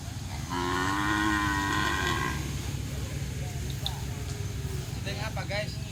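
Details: Bull-race cattle in training for Kerapan Sapi at Lap Asemanis, Pamekasan, Madura, Indonesia, give a steady, tonal moo of about two seconds, followed by murmuring voices and background crowd noise.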